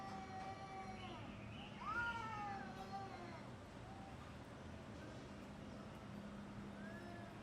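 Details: Fighting cats in uncut footage, with one loud drawn-out wavering yowl near the start, then quieter distant moans over a constant low hum.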